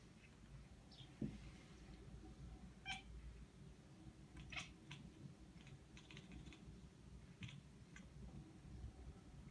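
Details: A cat makes short, clicking chirps in scattered bursts over a low background hum, chattering at birds.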